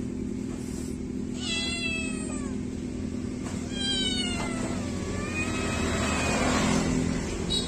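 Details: Kittens meowing after bath time: several thin, high, falling meows in quick succession, overlapping one another, over a steady low hum.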